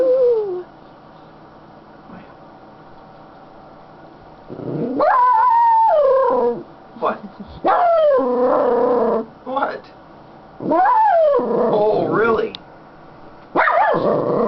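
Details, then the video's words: Content female Schnauzer on her owner's lap answers being talked to with a series of about four loud yodelling howls, each rising then sliding down, separated by short pauses and a person's voice. "Sounds of a happy Schnauzer"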